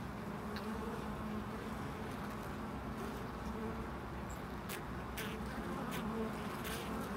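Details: Continuous low buzzing of bees at a loading dock, with short hovering swells, several sharp clicks and knocks around four to six seconds, and constant background rumble.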